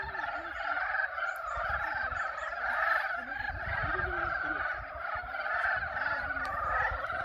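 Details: Many frogs giving mating calls at Yulgok Arboretum pond in spring; a constant, layered chorus of rapid croaks and trills, with brief lower gulping notes and some low background rumble.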